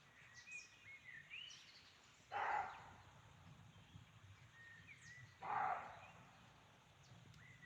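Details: Roe deer heard in a forest at Chaumien, France, on a hike: two harsh, hoarse barks about three seconds apart, each short and rough. Small birds chirp and whistle softly in the background.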